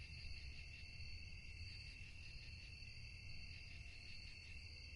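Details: Night-time cricket chorus in a peaceful quiet place, a continuous shimmering high trill in several stacked pitches with a faint pulsing texture and soft low background rumble.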